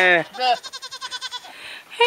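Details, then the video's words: Goat at a ranch calling: a short harmonic bleat, then a second bleat breaking into a rapid tremulous wavering of about ten pulses. A woman's voice and another bleat begin at the end. "Goat Song"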